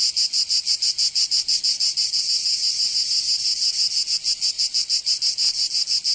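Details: Summertime cicadas in Provence, southern France, a loud high metallic buzz with regular pulsing near three beats per second, sustained and unchanging, no other animals or noises.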